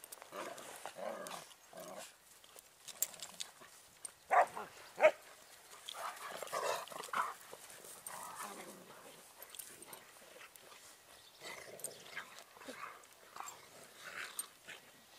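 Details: Bernese Mountain Dogs play-fighting in the snow, with short scattered growls and yelps in uneven bursts, while a person comments in German throughout.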